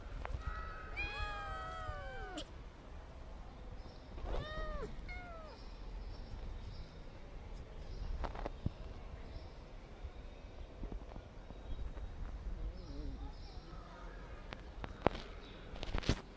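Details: Kittens meowing: two clear high mewing cries in the first five seconds, the first long and bending downward, then scattered faint mews among clicks and knocks.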